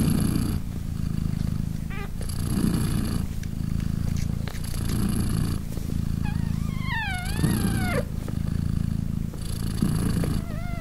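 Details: British Shorthair mother cat purring steadily in rhythmic breaths beside her three kittens, three days old and nursing; a tiny kitten meow rises and falls midway, with another thin meow near the end.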